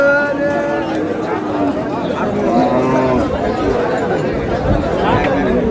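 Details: Cows at Ambari cattle market on 17 August, one giving a long, steady, low moo of more than a second at the start, followed by dense crowd chatter and bargaining voices throughout.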